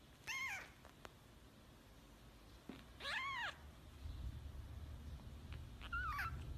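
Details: Newborn kittens, just beginning to open their eyes, give three high, arched mews spaced roughly every three seconds. The last is shorter and wavering, over a low room rumble.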